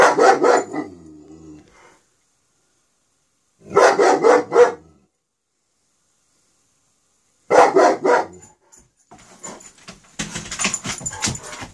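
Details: A dog barking in Pitman in an older recording: three loud bursts of rapid, harsh barks spaced about every three and a half seconds, each a quick cluster of several barks, with some clattering noise near the end.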